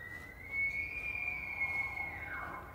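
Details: A bull elk bugles during the September rut in Yellowstone National Park: a long, high, whistling tone held steady for about two seconds, then sliding down into a lower, breathy end.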